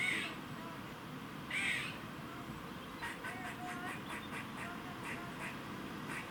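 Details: Squirrel's warning noise recorded in Cambridge, UK, on 27 September 2019 at 3:16 pm: two drawn-out hoarse rasps, then a quick series of short ticking chucks against steady ambient hum.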